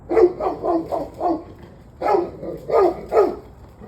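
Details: Barking dog recorded 21 November 2023, 7:06 pm, giving a run of four quick barks, a pause, then three more louder, slightly falling barks, all rough and mid-pitched against faint background noise.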